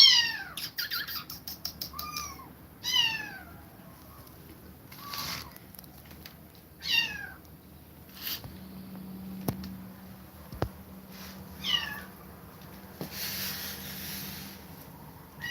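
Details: Kittens separated from their mother after her repeated attacks, crying in a run of high, falling meows with strong harmonics, several in quick succession early on, then scattered calls amid a low hum and brief hiss of noise.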